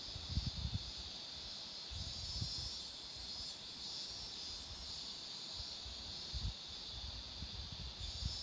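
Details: Beside marigolds flowering along a road, cicadas produce a constant piercing buzz. Short low-pitched thuds and gusts recur every second or two underneath.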